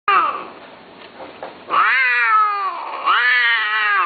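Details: A Persian (Himalayan) cat gives long, drawn-out mating yowls that swell and then sag in pitch.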